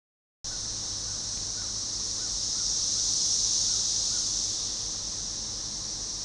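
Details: Cassin's 17-year cicada, recorded as Magicicada tredecassini: a dense, high-pitched synchronized chorus swelling and fading in unison near the Cache River, Monroe County, Arkansas, June 6, 2015.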